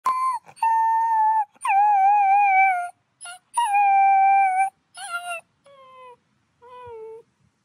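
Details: A tiny gray wolf pup at a wolf conservation center in South Salem, New York, gives a series of high, thin, wavering howls, each held for about a second.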